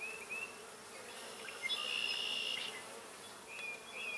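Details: Spring honeybees hammering purple deadnettle growing wild in a field and carrying pollen; a continuous droning buzz, swelling midway into a louder, higher whine of a bee flying close, then easing back.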